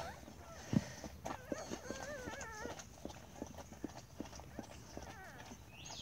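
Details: A newborn Siberian Husky puppy, the third born, just delivered and stimulated by its mother, gives thin, wavering squeals with soft human speech and clicks around it.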